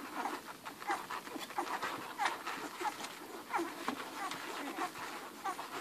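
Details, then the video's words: Eleven hungry Irish Red and White Setter puppies nursing from their mother Ruby: a busy mix of soft suckling clicks and smacking, with brief high squeaks and panting scattered throughout. "11 hungry irish red and white setter puppies nursing"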